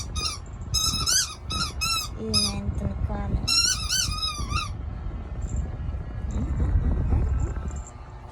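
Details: Pet dog, called baby, being noisy indoors: a run of short, high, squeaky whines with bending pitch over the first five seconds, a lower voice in between, then mostly background rumble and faint squeaks.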